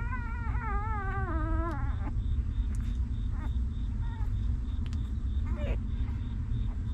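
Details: Whining cry from a newborn puppy cared for by its stray mother: a long, quavering, wobbling whine lasting nearly two seconds and dipping in pitch at the end, followed by a few faint short squeaks, with steady low rumble throughout.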